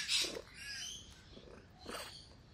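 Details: Hungry Russian Blue cat indoors meowing: a drawn-out, bending meow in the first second, then a shorter, fainter call near the end, with a woman speaking to it.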